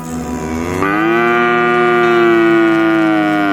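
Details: Village cattle herd walking home to the barn along countryside roads: one long, loud, tonal moo that rises at the start, then holds a steady, rich pitch for almost three seconds.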